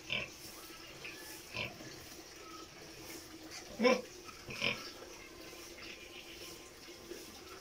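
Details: Sow near farrowing giving scattered short grunts and squeaky snorts, one louder call near the middle, over low steady background noise.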